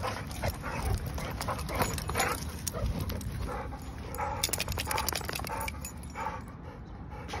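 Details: Friendly play wrestling by a Staffordshire bull terrier, with throaty grumbles and short huffing snorts in irregular clusters, plus sharp scuffling clicks and rustles as the dog tussles.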